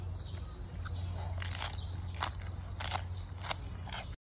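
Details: A giant panda chews bamboo shoots, giving several loud crisp crunches and cracks amid softer munching, while birds chirp in a quick repeated pattern behind a low steady hum.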